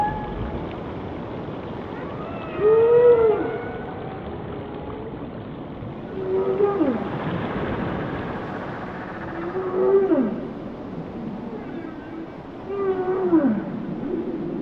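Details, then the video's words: Whale song of four swelling phrases, each an arched moan bending into a steep downward glide, roughly every three to four seconds, harmonics rising above, set against continuous underwater hiss. "Song of the Whales"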